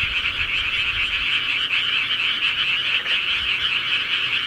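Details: Frogs of the countryside croaking together, a constant buzz of quick overlapping trills, with a brief dip in loudness near the three-second mark before the chorus carries on.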